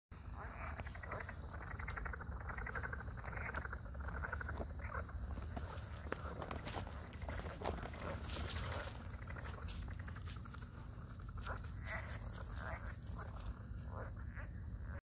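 Cuban tree frogs give raspy, grating calls in quick bursts over a steady low rumble.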